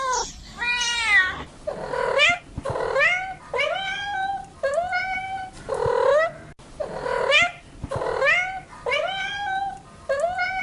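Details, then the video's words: Cat uttering a quick series of meows, some drawn-out and wavering, others short and rising at the end, roughly one per second, with occasional soft clicks in the background. "Cats Meow 10 Minutes of Cats Making Meow Sounds"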